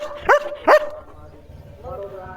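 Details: German Shepherd Leo barks at a tractor during an evening farm walk: two sharp, clipped barks about half a second apart, then quiet with a faint voice afterwards.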